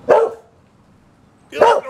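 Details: Liberty, a pet Boxer throwing a dinner-time tantrum, lets out two forceful barks about one and a half seconds apart, with near-silence between them.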